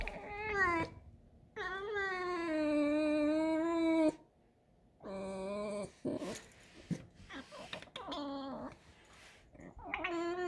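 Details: Pet fox in a kitchen giving squeaky, drawn-out whining calls, several harmonic wails that rise then fall, separated by short pauses, ending in quicker broken squeals with a person nearby.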